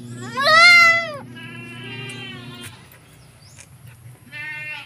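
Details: Goat kids receiving a 1 ml B-complex injection: one loud, wavering bleat with rich harmonics, a fainter drawn-out bleat, then a short third cry, over a low steady background hum.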